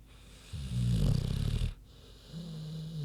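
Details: Queenie, a big pig, sleeping and snoring: a deep, rumbling inhaled snore lasting about a second, then a softer, steady low drone as the breath goes out.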